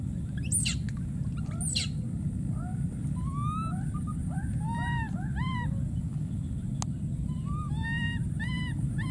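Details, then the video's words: Calling for his friend, a wild baby monkey lets out two shrill squeals, then a long series of rising-and-falling whimpering calls, each about half a second, against a constant low background rumble. "this p.o.o.r wild monkey baby keeps s.c.r.e.a.m.i.n.g and calling for his friend"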